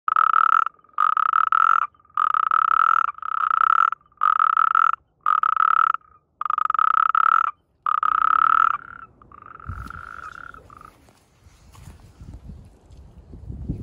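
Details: A natterjack toad (Epidalea calamita) in mating season, with croaking and amplexus, gives loud, rasping trills in a steady series, each burst under a second long.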